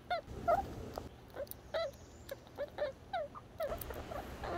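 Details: Little Red the red squirrel utters soft, bent squeaks and chirps, spaced irregularly with brief pauses between them.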